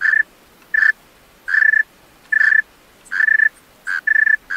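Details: Night song of a male tree cricket: bright, even-pitched chirps of about a quarter second, repeated roughly once a second with uneven gaps, the last few closely paired.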